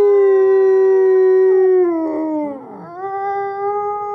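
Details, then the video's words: At the Wolf Conservation Center in South Salem, New York, captive-born gray wolves Alawa and Nikai howl to reaffirm social bonds; a long level tone falls away, wavers briefly, then a second howl resumes steady. "Wolves Sing to Strengthen Their Love"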